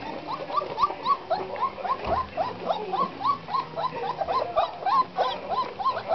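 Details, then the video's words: Black Russian Terrier puppies at 26 days of age whining together, a steady stream of short upswept squeaks several per second, overlapping voices with light rustling beneath. "PUPPIES Black Russian Terrier ! Age 26 days."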